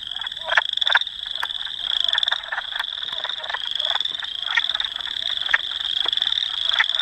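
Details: Wood frogs at Dauphin, Manitoba, Canada, April 18, 2008, on a Canon PowerShot S5 IS: scattered guttural clucks punctuate a constant high, buzzing trill that dominates the chorus throughout.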